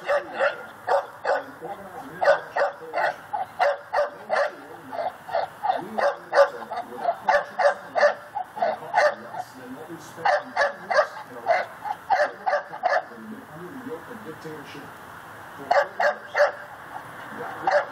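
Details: A pit bull tied to a post outside on an October evening barks steadily, sharp loud barks in quick bursts almost every half second; it reportedly barks around the clock.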